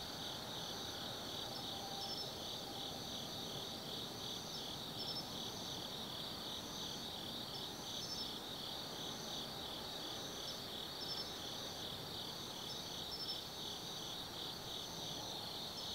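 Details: Forest insects on an autumn night at Tsukimi no Mori, Gifu, Japan, heard from the lookout above the Nobi Plain: layered high trilling, a wavering pulsed band repeating steadily, and a faint distant rumble beneath.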